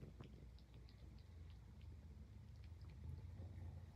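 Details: Highland Lynx cat purring while grooming itself; a low, steady rumbling drone continues throughout, with soft wet licking clicks scattered on top.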